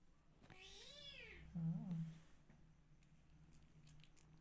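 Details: A single arching meow from a rescue kitten, followed at once by a shorter, lower, wavering call, then quiet indoor background.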